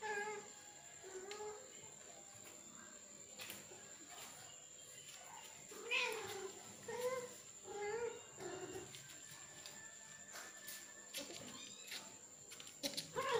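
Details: Male cat forcing himself on a female, producing repeated wavering, moaning yowls in short bursts, clustered in the middle of the stretch, with clicks and a persistent high-pitched hum behind.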